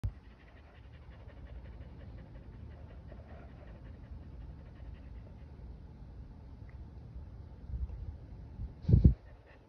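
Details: Boston Terrier and Keeshond chasing each other in circles; steady soft low panting runs throughout, ending in a couple of louder thumps near the close.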